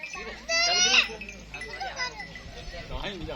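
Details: Goats graze on green grass at a goat farm. One quavering, nasal bleat lasts about half a second and falls in pitch at its end. Fainter bleats or voices and farm background noise follow.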